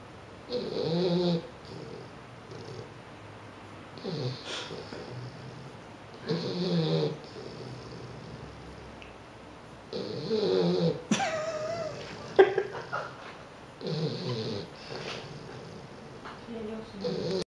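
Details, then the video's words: Bulldog puppy asleep, snoring in soft, rough, breathy bursts about every three seconds, each a low rasping inhale with a hushed hiss; a brief sharper noise breaks in near the middle of the recording. "Funny Snoring Puppy Bulldog"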